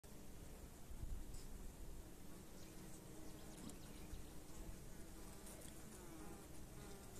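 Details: Honey bee workers acting as nurses, feeding their queen during beekeeping in 2022. A faint, low, steady buzzing hum runs throughout with little change in loudness.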